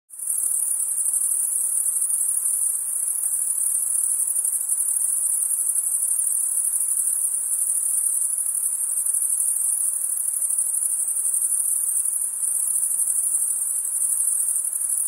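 Night insects keep up a steady, very high, shrill trill that never pauses.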